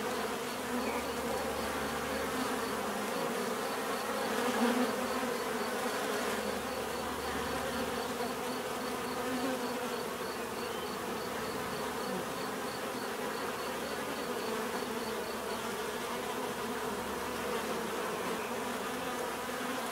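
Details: Continuous low humming buzz from many bees, even and droning, with a brief louder swell early on; a faint, regularly pulsed high tone accompanies the first three quarters.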